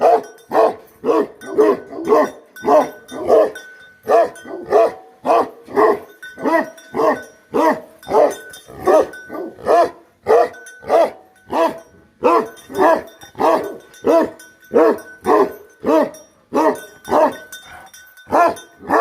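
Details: Bhote Kukur guardian dog giving a long, steady run of deep, harsh barks, close to two each second for almost twenty seconds, with a faint high ringing tone behind them.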